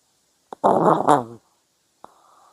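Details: A sleeping puppy snoring indoors: one loud, rough, groaning snore lasting under a second, rich and buzzy with a low rasping base, followed by a short click and a faint thin tone near the end.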